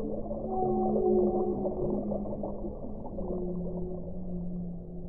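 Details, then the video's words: Whale song: long, low tonal moans gliding and overlapping, one steady drawn-out note underneath with shorter wavering tones above, over a constant muffled underwater hiss. "1 ora di suono delle balene"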